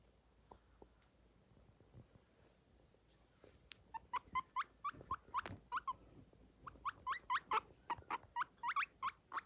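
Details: Guinea pig (Cavia porcellus), squeaks.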